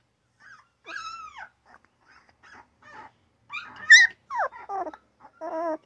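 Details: Two newborn puppies making basic mini grunts, short nasal whines and squeaks, several sliding down in pitch, ending in a louder buzzy grunt.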